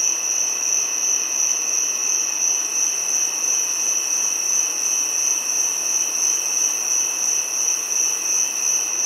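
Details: Steady, piercing giant cicada call, a single high sustained note with a softer lower companion tone, droning on without break or change in loudness.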